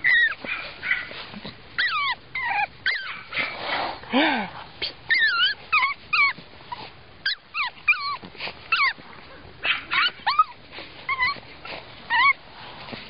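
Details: Fawn male Pug puppy whimpering almost continuously: many short, squeaky rising and falling whines in quick succession, with soft voices and rustling in the background.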